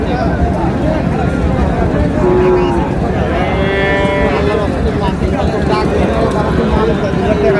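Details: Friesian and crossbred bull calves for sale at Raniganj market, 10 August. A few drawn-out moos stand out midway, partly covered by constant market chatter and low rumbling background noise.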